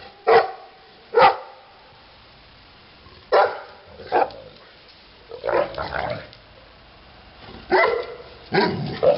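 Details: Titti, a female Neapolitan Mastiff, barking: deep, loud single barks and short double barks separated by pauses, about nine in all, with a quiet background.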